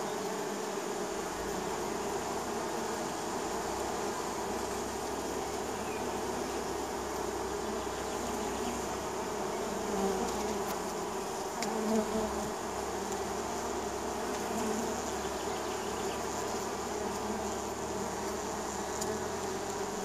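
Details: Springtime honey bees crowding a neighbour's hive entrance, a thick continuous hum of many wings, with individual bees passing close around the midpoint, adding louder wavering buzzes over the steady drone.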